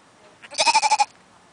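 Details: Lamb, one of two, giving a short, rapidly pulsed bleat of about six quick beats lasting half a second, with a faint voice before it.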